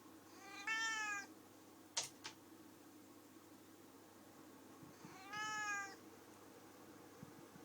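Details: Talkative female cat that likes to sing along gives two short, bright meows about five seconds apart, with a few sharp clicks and faint room noise between them.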